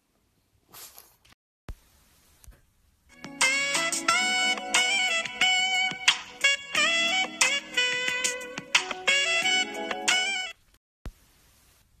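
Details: Upbeat instrumental music with bright horn-like tones plays after a few scattered clicks, then stops abruptly before a quiet end.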